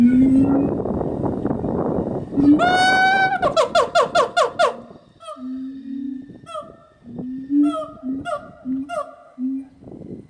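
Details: Siamang gibbons at Omaha's Henry Doorly Zoo call loudly while putting on a noisy show. Deep booming hoots mix with rising whoops and rapid, ringing barks, first mistaken for howler monkeys.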